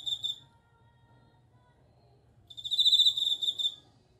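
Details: Bell cricket ringing song: a trill trails off at the start, then after a two-second pause another bright, high, slightly pulsing bell-like trill of about a second, over a soft steady low hum.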